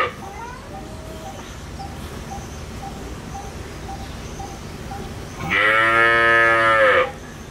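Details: Local desi cow in India during milking at a dairy, her calf nearby; soft repeated faint tones precede a single loud, drawn-out harmonic moo lasting about one and a half seconds.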